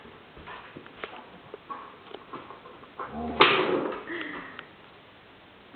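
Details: Border Collie named Stroszek, 15 months old, playing indoors at home and giving one short, sharp bark when told to speak, with a brief whining tail. Quiet shuffling and soft taps come before it, and a man's Polish commands follow.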